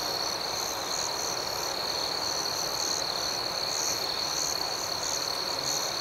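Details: Night crickets outdoors giving a dense, even, high-pitched trill with rapid rhythmic pulses, steady in volume throughout.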